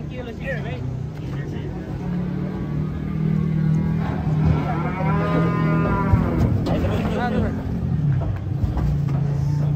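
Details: Agitated giant cattle being unloaded from a truck, startling the visitors: a long, deep, steady bellow that holds for several seconds, then a shorter low moo near the end. People talk and shout over it against background clatter.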